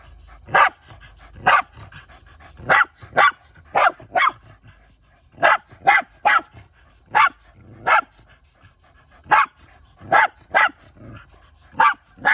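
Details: Male Shiba Inu Kai barking in rural surroundings while hunting, watched by former stray Bitchan. About seventeen short, sharp barks follow in a steady, insistent series over twelve seconds, some in quick pairs, with quiet gaps between.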